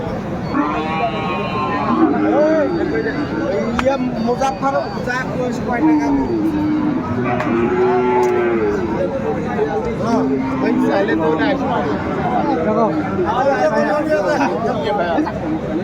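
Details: Cattle at a Kurigram, Bangladesh market selling Sahiwal bulls give a series of low, wavering moos spread through the recording, beneath constant crowd babble and occasional louder voices.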